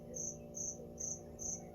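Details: Cricket hidden inside a store, a noisy morning in September 2025, while a puppy listens: bright high chirps pulsed about twice per second, each short and even, over a faint low room hum.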